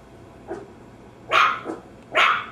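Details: Barking Maltese terrier: a faint bark, then two loud, bright, high barks with a softer one between them.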